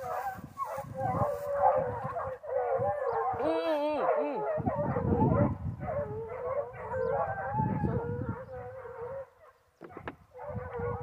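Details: Foxhounds hunting wild boar, several dogs baying together in a dense, overlapping chorus of long wavering howls and yelps, steady throughout with a brief lull near the end; low rumbling noise underneath.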